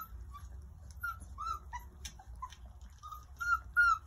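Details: Four-week-old Irish Setter puppies enjoying lunch in the sun give high, thin whimpering squeaks, some rising and falling, scattered irregularly and growing louder near the end, over a steady low rumble.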